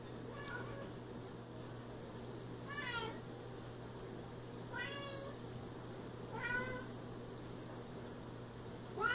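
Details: Siamese cat meowing indoors, four drawn-out harmonic meows spaced roughly two to three seconds apart, each rising then falling, over a steady low hum.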